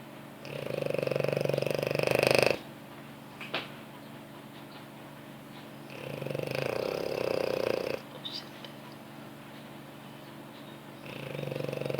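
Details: A pampered French Bulldog asleep on its owner's lap snores loudly, each rasping, rattling inhale lasting about two seconds.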